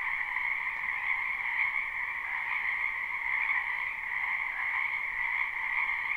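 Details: Frogs crowding a wetland in spring, live recording: a thick wall of high trilling calls with slight pulsing swells, constant from start to finish, individual voices indistinguishable, nothing else audible.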